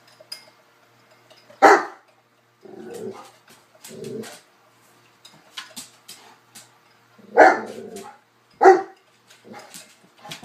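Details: Newfoundlands and a cocker spaniel playing: a loud bark, then low rumbling growl-like sounds, then two more sharp barks close together near the end, amid light scuffling.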